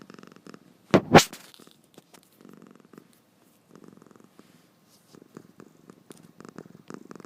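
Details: Sleepy domestic cat snoring while its eyes stay open, indoors. Soft, low, raspy purring bursts come in short groups with gaps of silence. One sharp louder knock sounds near the start.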